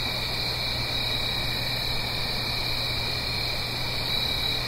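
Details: Blue Ridge Mountains on an autumn night, a stream below: crickets keep up a steady, shimmering high-pitched trill in layered bands, never pausing, with a constant soft rush of water underneath.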